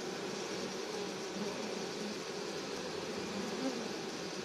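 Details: Swarm of honey bees being caught, fanning to spread the queen's pheromones to the rest: a dense, steady, continuous hum with a low droning band and broad hiss above, even in loudness throughout.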